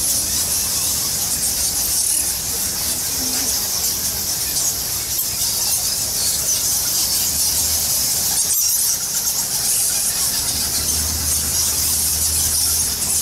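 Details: A dense, continuous chorus of high, shrill squeaks from thousands of bats roosting in Goa Lawah, a cave temple in Bali.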